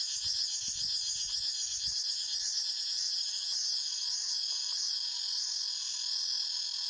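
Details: Intense high buzzing of cicadas in a forest, layered and continuous with a looping, wavering upper tone. A few soft low thumps occur in the first two seconds.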